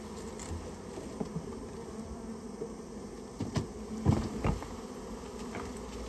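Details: Japanese honey bee colony that built its nest inside a storehouse, being removed on request; a steady low hum of many bees, broken by scattered knocks and taps from the removal work.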